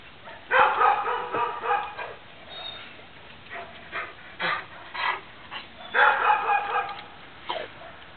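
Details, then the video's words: A neighbour's dog barking in the morning, loud enough to wake sleeping children: harsh, harmonic barks in quick irregular runs of three to five, with short gaps between bursts and no other sounds. "Annoying (neighbor's) dog barks"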